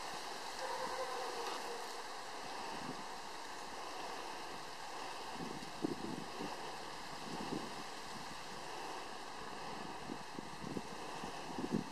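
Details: Steady wind and outdoor rumble with occasional soft thumps; no animal sound is heard.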